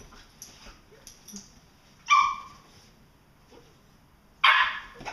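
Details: Vizsla pair play fighting, August 2012. Low rustling and faint yips lead into two loud, harsh, harmonic barks spaced about two and a half seconds apart, each short and rough-edged, with quieter scuffling between them.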